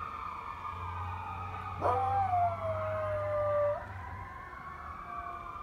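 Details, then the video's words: A small pet dog named Gizmo howls at firetruck sirens, giving one drawn-out howl of about two seconds that starts with a quick rise and then falls slowly, over the continuous wail of the siren. "Dog Howling at fire truck sirens"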